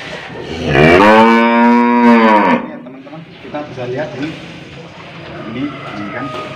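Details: An aged cow, hard to handle while being fitted with a nose rope, bellows a long full-throated moo of nearly two seconds. It falls slightly at the end, followed by handling noise and faint voices.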